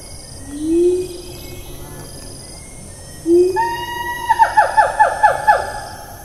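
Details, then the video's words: A siamang in Taman Negara National Park, Malaysia, recorded on 4 April 2019, gives low rising whoops, then a quick run of higher, sliding barks. "Nature I Ape acoustic I Siamang - Symphalangus syndactylus"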